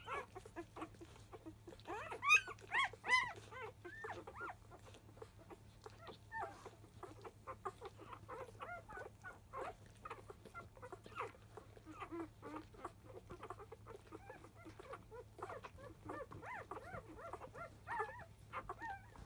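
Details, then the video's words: Field-line Labrador Retriever puppies aged five days, fussing loudly while starting to nurse in the early afternoon: a dense, overlapping chatter of thin squeaks and whimpers from several pups, louder squeals near the start. "Labrador puppy 5days old!ラブラドールレトリーバーの子犬・生後5日目・午後1すぎ♪またまた授乳・飲みはじめは大騒ぎ！"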